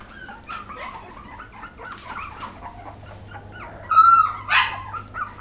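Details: Poodle puppies from 2012 give soft wavering whines, then a louder sharp squeal and a harsh yelp near the end, with a faint background hum.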